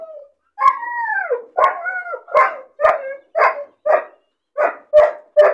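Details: Lonely, bored puppy caged alone, crying and barking: a long falling whine, then short yelping barks repeated about twice a second, each with a sharp onset and a downward tail.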